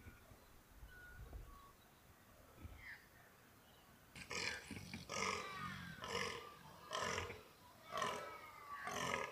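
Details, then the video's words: Fallow deer buck in the rut, mountains of New South Wales, Australia, free-range; after a quiet start with faint bird notes, loud rhythmic belching groans repeat about once a second in a steady series. "Fallow & Red Deer Rut"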